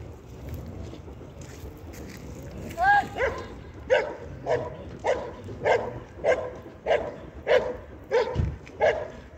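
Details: Belgian Malinois at an IPG 2 regional competition in Sin-le-Noble, France, 2023: a brief rising whine, then about ten sharp, punchy barks roughly every 0.6 seconds over a low murmur of background noise.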